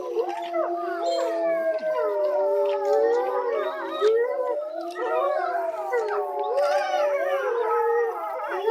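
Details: Captive grey wolves at Tama Zoological Park, about 3 pm, in a dense group howl. Many sustained, sliding tones overlap, some swooping up and down, mixed with short sharp yips and wavering cries that cut through the drawn-out chorus.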